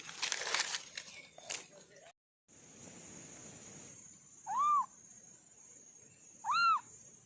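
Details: Two brief, clear, arched kitten meows about two seconds apart from an orange kitten, following a stretch of rustling, knocking and indistinct noise, with a thin constant hiss throughout.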